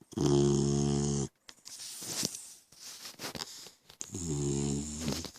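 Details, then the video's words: Snores from Koda, a three-month-old French Mastiff/Pitbull puppy, rumble in a quiet room: a loud, harsh, buzzing inhale, a stretch of faint snuffly breathing, then another long grating snore. "French Mastiff/Pitbull Snoring"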